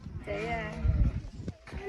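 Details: Sheep at Akha Farmville, a hillside sheep farm on Doi Chang in Mae Suai district, Chiang Rai, Thailand, giving one short wavering bleat lasting about half a second, followed by people chatting nearby.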